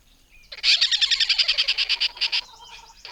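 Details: Tree squirrel, a mammal whose call can be confused with a kingfisher's, giving a fast, buzzy, high chattering rattle of about twenty rapid pulses lasting nearly two seconds, slowing slightly toward the end, with a faint whistle before and after.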